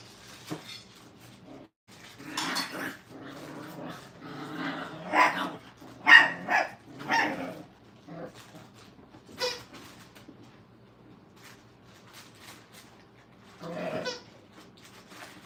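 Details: Brittany puppies during crate and tunnel training in a kennel give irregular bursts of short, sharp barks and yelps, clustered between two and seven seconds and again near fourteen seconds, with quiet room tone in between.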